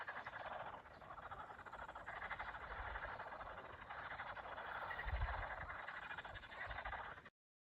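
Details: Summer frog chorus near a village in Russia: a thick, steady mass of fast pulsed croaks from many frogs, rising slightly in loudness toward the end, plus a few low thumps before the sound cuts off abruptly.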